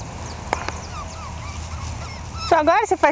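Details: One-month-old Jack Russell Terrier puppies, born 27 October 2010 from Yeti Romany Storm and Romany Rio, give a quick series of wavering, harmonic-rich whimpers near the end after faint squeaks over a low background hum.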